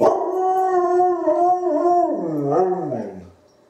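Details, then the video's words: Izzie, a dog answering wolves, gives a strong wavering howl that holds level, then slides down in pitch with a couple of quavering dips before trailing off. "Izzie's ancestral blood answers the call"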